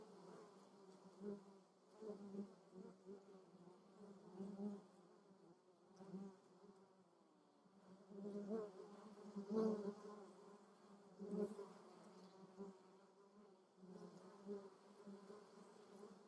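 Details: Wing buzz of honey bees, among other insects, foraging on lavender in Germany's Moseltal; a continuous low hum that rises and fades repeatedly as insects come and go, with louder close passes in the middle.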